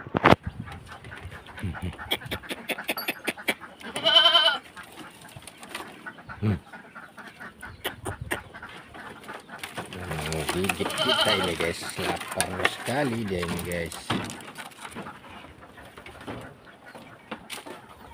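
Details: Goats at feeding time on a small farm, stripping cut branches down to the twigs; a short harsh bleat, then a longer quavering bleat, amid chewing, rustling leaves and a bird chirping.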